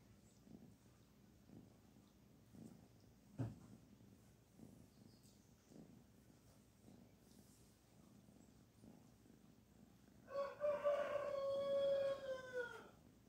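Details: Kitten Barfi being petted, purring in a soft, rhythmic low rumble with pulses about twice a second; near the end a loud harmonic crowing call rises over it, with a sharp knock earlier.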